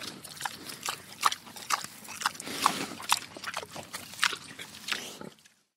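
A large pig chews slowly, with wet smacking and crunching bursts and the odd soft grunt.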